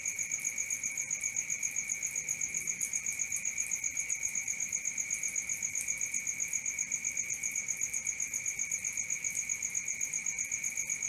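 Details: Crickets at night: a steady, high, ringing chorus of rapid, even pulses, about four per second, holding unbroken throughout with no other clear sounds.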